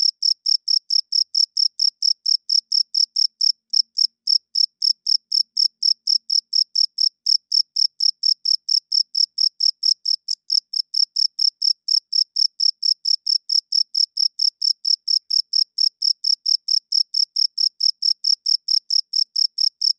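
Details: Loud nighttime chirping of male crickets, made by rubbing the wings together to court females and defend territory; long regular series of shrill pulses near four per second, one brief break early on, otherwise continuous.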